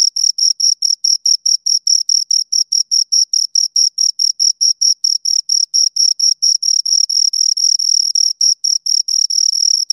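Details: Two crickets produce steady shrill chirps, short high pulses repeating quickly and evenly, merging into a near-continuous ring toward the end; no other sounds present.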